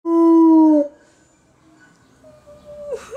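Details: A captive gray wolf in a zoo gives a loud, steady howl that drops slightly at the end.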